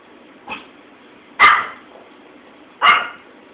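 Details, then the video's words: A female Pomeranian being taught to howl gives three short sharp barks spaced over about three seconds, the first softer, the next two loud and bright, in a quiet room. "Trying To Teach Our Pom to Howl"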